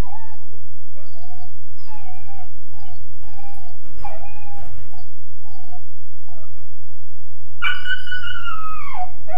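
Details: Young Weimaraner, roughly 13.5 weeks old, shut in his kennel, whimpers in short repeated yelps, then breaks into a long drawn-out howl that rises and slowly falls near the end; a constant low hum runs beneath.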